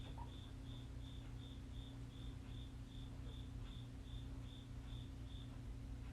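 A cricket gives short, high chirps at a steady pace, over a low indoor hum.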